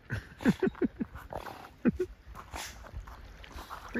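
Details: Molly, a 2-year-old female Golden Retriever who loves swimming and diving underwater for rocks, gives short, high, rising-and-falling whimpers in quick bursts of three to four, then again near the end, while a person praises her.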